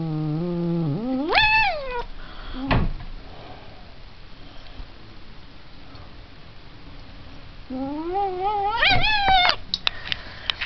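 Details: Cat yowling in two long drawn-out bouts: the first starts low, then sweeps sharply upward into a high wail; after a quiet stretch, a second rising, wavering howl climbs and breaks into short upper notes near the end.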